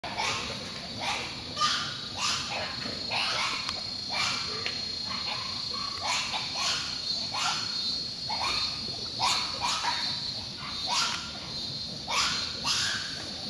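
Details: Large, very noisy group of wild pigs roaming free in jungle near a lodge at San Miguel Del Bala, Maldini National Park, Bolivia, September 2011; harsh, falling squeals repeated about every second, overlapping, over a steady high-pitched whine.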